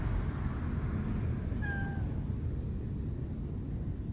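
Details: Stray mother cat raising kittens, fed a hydrating health can and Kalkan on the evening of a scorching summer day, gives one short, steady meow lasting under half a second. A heavy low rumble and a constant high hiss run throughout.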